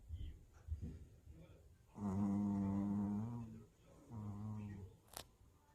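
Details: Tired puppy asleep indoors, giving two humming, nasal snores, a long drawn-out one of about a second and a half, then a shorter one, separated by quiet breathing, with a brief click near the end.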